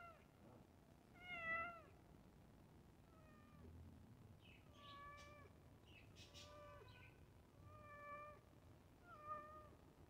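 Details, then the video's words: Domestic cat waiting for its iftar meal, meowing insistently: about seven clear, tonal meows, some short and some drawn out, repeated every second or so, with faint rustling between calls. "Cat Waiting For Iftar Cat Meowing Sound"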